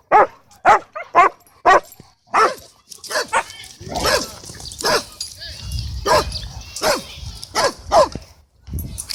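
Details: At a dog park, a Cane Corso tries to take charge and Bodhi cuts in; sharp barks in a quick burst open, then sparser barks over human voices and rumbling background noise.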